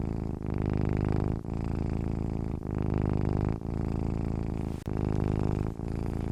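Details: Cat purring in its sleep: a deep, even rumble in long swells, each ending in a quick pause for breath about once a second.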